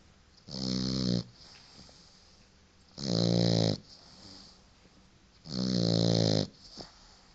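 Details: Paco, a four-month-old white French Bulldog, snores while asleep indoors: three loud, rasping, harmonic snores, each about a second long, spaced roughly two and a half seconds apart, with soft breathy exhales between them.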